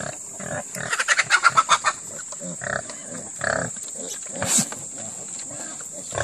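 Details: Purebred Red Wattle heritage hog gives a rapid run of short rhythmic grunts between one and two seconds, then scattered single grunts and snorts, over a steady high hum.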